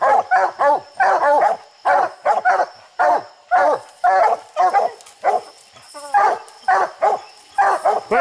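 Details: Dogs treeing a raccoon far up a steep, slick hillside; a long run of loud, hoarse barks roughly twice per second, sometimes doubled, with a short squeaky yelp midway and faint high hum throughout.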